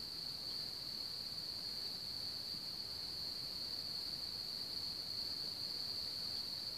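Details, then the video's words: High, shrill cricket trilling from one of the largest populations in Bohemia, around Hamr near Chlum u Třeboně, runs constant and loud from start to finish, with faint rustling noise below. "Cvrčci v Hamru"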